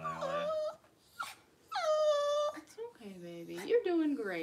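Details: Cavalier King Charles Spaniel whines during a litter birth, as Daisy delivers six puppies in two hours indoors; drawn-out tonal whines, some level and some sliding down, come in bursts, with a person talking over them.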